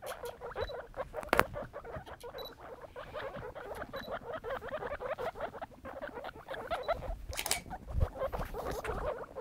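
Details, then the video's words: Baby guinea pigs, three young animals kept as pets, heard with dense rapid chirping squeaks and patter of small feet, a steady busy chatter of short high notes throughout, with a few louder clicks and rustles. "baby guinea pigs"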